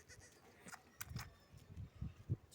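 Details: Young goat kid drinking milk from a bottle nipple; short, low, rough bleat-like bursts, several in quick succession, the loudest near the end, over a faint background hiss.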